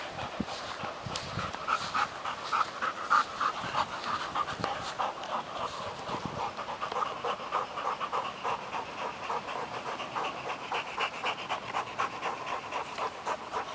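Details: Panting during a stick chase between Working Mastiff pup Nobi, ten months, and bull terrier Tasha, eight years; an even run of quick airy breaths, about three or four per second, continues throughout amid faint background rumble.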